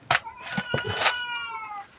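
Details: Temple cat named Nam Phet at Wat Pong Chai, Chae Hom, Lampang, Thailand, being cleaned and wiped down, gives a drawn-out meow that slides slowly downward and fades over about a second and a half, with a few soft knocks before it.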